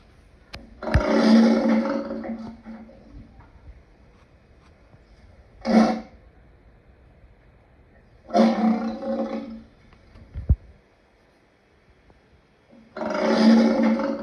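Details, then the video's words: Lion sounding four separate harsh roaring bursts, some about a second long and one short, spaced by quiet gaps of several seconds, with a sharp click or knock in between. "Lion sounds part 2"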